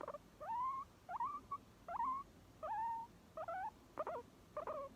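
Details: Guinea pig giving short squeaky notes that rise and bend, with a few quick broken chirps, about seven or eight calls spaced unevenly over five seconds against a quiet indoor background.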